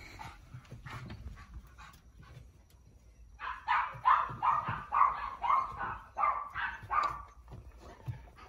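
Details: Male Cavalier King Charles Spaniel Yoichi, tricolour, born 2019 in Kurume, Fukuoka, turning cat-like when overexcited while playing with Sara: a steady string of about nine mewing, whiny yowls, roughly two per second, after soft thumps.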